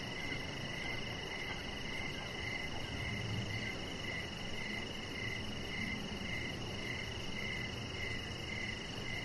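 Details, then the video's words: Crickets chirping in the evening beside a deck with decoration lights, a chihuahua puppy lying nearby; short pulsed chirps repeat about every half second over a steady high insect drone and soft rustling background. "3 Hours Of Chihuahua Puppy Laying On Deck with Cricket Sounds"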